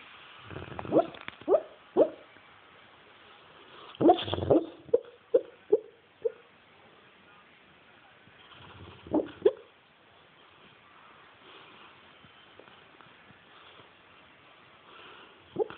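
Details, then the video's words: Sleeping dog named Bailey giving muffled barks and whimpering yips, a burst of quick soft woofs early on, then a pair of louder huffs and long quiet stretches with one faint yip at the end. "Bailey sleep-barking"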